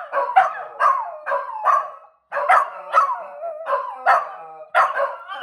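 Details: Two pet dogs trying to howl: a run of short, rough yelping barks that stretch into wavering, drawn-out tonal howls, about ten bursts in five seconds with a brief pause partway through, rich harmonic overtones, no other sounds.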